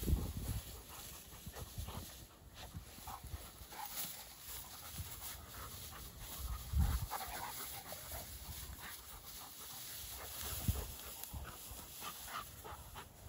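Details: Pair of Dogo Argentino dogs at play outside, breathing in quick, uneven pants with occasional louder huffs and scuffling amid steady low outdoor noise.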